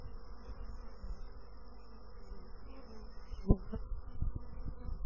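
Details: Bees droning in a low, even hum. A sharp tap near the middle is followed by a few louder pulses of buzzing.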